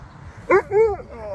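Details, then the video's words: Husky roused mid-grooming and trying to fight back: a sharp short yelp, then a rising-and-falling arched woo note, with faint room hum behind. "Husky Woke As I Was Doing It And Tried To Fight Me!"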